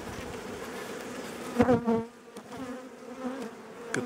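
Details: Agitated honey bees during an April hive inspection, colony of eight frames raising a new queen: continuous low hum broken by a loud close fly-by that rises and falls in pitch, followed by a softer drone and a few knocks.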